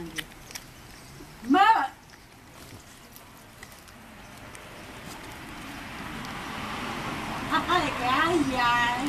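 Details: Cat giving birth to her third kitten; one loud, short meow with a rising then falling pitch, followed by people talking quietly nearby.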